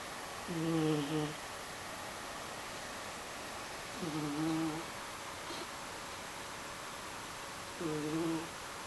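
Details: Mysli, a sleeping cat, snoring indoors: three soft, low, humming snores, each under a second long with a faint tonal edge, spaced about three to four seconds apart in a quiet room with steady background hiss.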